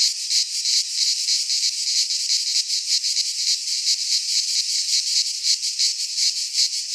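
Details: Greek pine forest cicadas in midsummer fill the air with a steady, piercing buzz, its intensity wavering in quick regular pulses from start to finish.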